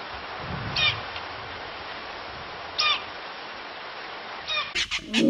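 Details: A klipspringer, a small rock-dwelling antelope, in Kruger, gives brief, high, squeaky whistles spaced about two seconds apart over a steady hiss.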